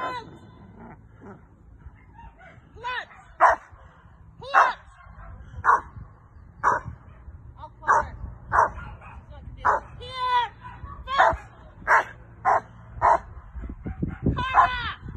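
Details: Carma, a female Rottweiler, barks during protection training with a helper: about a dozen loud, sharp barks repeated roughly every second, with a few higher whining yelps mixed in and faint voices in the background.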